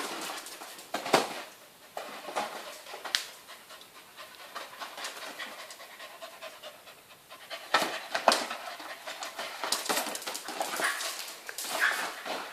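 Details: Welsh Corgi named Kim Bori, nicknamed Bonaldo as a football star among corgis, panting in quick rough breaths; sharp scuffing and knocking bursts break in at irregular intervals.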